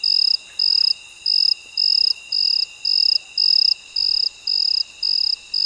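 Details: Cricket at midnight: loud, high, shrill pulsed trills, each about half a second long, repeated roughly twice a second in a steady rhythm over fainter constant high insect tones and a quiet night background.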